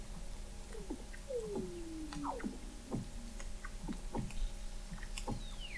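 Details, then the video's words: In McMurdo Sound, Antarctica, Weddell seals beneath thick sea ice, recorded November 2017 from an observatory 21 m deep; a sliding downward whistle, quick falling chirps and regular broadband clicks fill the water. "Song of the Antarctic Weddell Seal"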